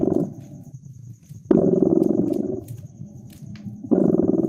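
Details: Cat purring beside a crackling fire in winter: deep pulsing rumble that swells in long phases and fades between breaths, a few sharp crackle clicks, and a soft constant high whine.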